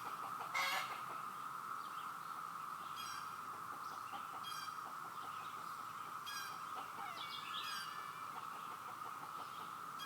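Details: A steady, unbroken cicada drone with cicadas everywhere, sounding like a waterfall, with scattered cheeps and clucks from baby chicks.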